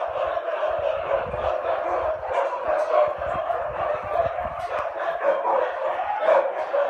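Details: Huskies at feeding time, many dogs barking and yelping together in a dense, continuous chorus with overlapping high yips.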